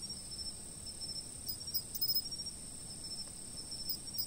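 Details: Insects calling, filmed from a fixed camera: an even, high, sustained trill with occasional brief bursts of rapid chirping near the middle and end. Soft low background hum.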